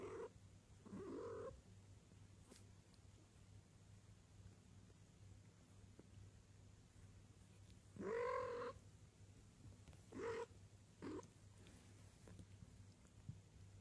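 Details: Domestic cats, shown as copycat kittens imitating one another; several short meows with harmonic bands, the loudest near the eighth second, separated by quiet stretches over a steady low hum.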